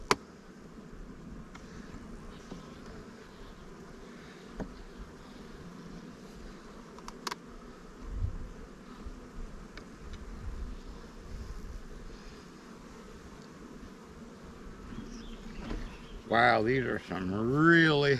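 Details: Heavy honey frames are lifted from a strong hive to supply new swarm colonies, with a low, even drone of honey bees throughout, occasional thumps, and a man talking at the end.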